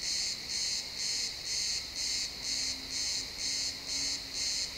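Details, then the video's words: Crickets chirping in a pine forest at sunset, XY stereo, real time: steady pulsed high trills, roughly two bursts a second, over a continuous shrill insect background. "Cricket sounds in the pine forest"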